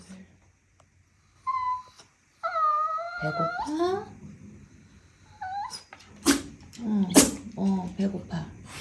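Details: Bichon Frise whining sadly indoors, hungry and asking for food: high, wavering whines with kettle-like tones that slide and bend, followed by a woman speaking Korean and more short whimpers in a small room.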